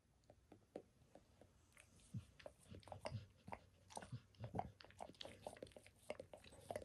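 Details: Max, a dog, grooming himself indoors, licking his paws and a foot within reach in a spontaneous recording; wet, smacking clicks and slurps in irregular bursts, growing denser and louder toward the end, in a small quiet room.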